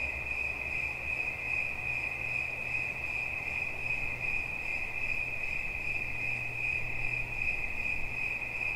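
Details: A cricket's unbroken, even trill rings high and steady, softly pulsing throughout, with a deep droning hum underneath that swells slightly at times.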